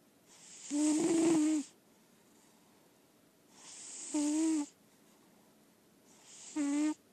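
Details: Sleeping lilac point Siamese named Daisy Belle, an indoor-only cat, gives three long rasping snores, each swelling from a soft breath into a harsh nasal whine with a bright hiss, spaced roughly two and a half seconds apart.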